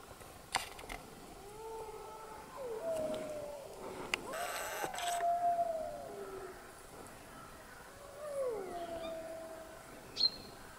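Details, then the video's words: Wolves howling in Haute-Savoie, France: long, clear, mournful howls, each rising then holding steady and sliding down, a few seconds long, with a second voice a little lower; a few clicks and a brief rustle in between. "Hurlements de loups en Haute Savoie"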